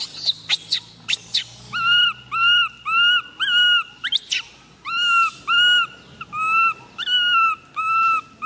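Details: Baby monkey MoMo, a tiny female, crying after a fall: a few shrill screams open, then evenly repeated whining coos, each rising and falling slightly, roughly twice per second.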